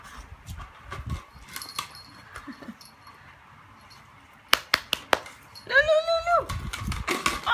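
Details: Beagle named Cooper playing with his recycled Coke bottle gives one short, harmonic, falling bark-howl near the end, after several sharp clattering knocks of the bottle; a person's voice is heard earlier.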